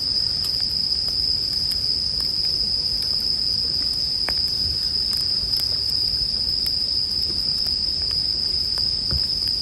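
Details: Bell crickets sing as a steady, high, unbroken ringing tone that holds level throughout, layered over the soft crackle and pops of a campfire.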